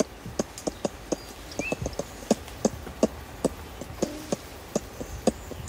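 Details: Ring-tailed lemurs, adults feeding in trees at Berenty Reserve, give close-range contact clucking calls: short, sharp, knocking clucks repeated irregularly, several per second at times, with faint high bird whistles in the background.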